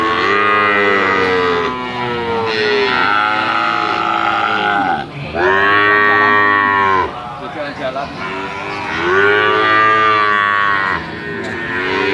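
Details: Limousin cattle calves for sale, bellowing in long harmonic moos lasting two seconds or more, about four in sequence with brief gaps.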